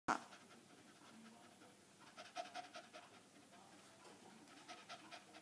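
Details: A hyperactive female Staffordshire bull terrier pants in harsh, rasping bursts that sound like a saw cutting through wood.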